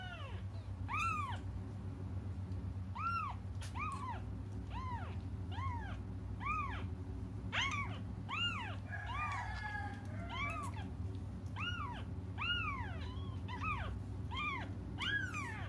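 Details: Crying cats waiting for their mother give a long, steady series of high, arched mews roughly every second, with a burst of overlapping cries near the middle, above a low background hum.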